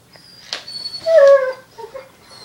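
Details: Indoors, a foster puppy bonding with an older dog lets out a brief, high whimper that slides slightly downward, then two faint short whines, with quiet rustling before it.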